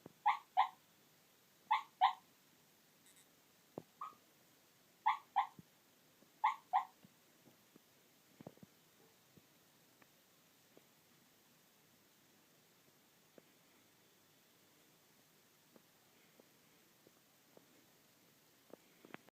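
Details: Sleeping Chihuahua making soft, squeaky whimper-like sounds, mostly in quick pairs, several in the first seven seconds, then near silence with a few faint clicks in a quiet room.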